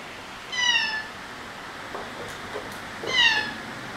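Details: Two clear, slightly falling meows about two and a half seconds apart from Margaret, a shy rescued white cat with orange patches on head and tail, against faint soft room noise.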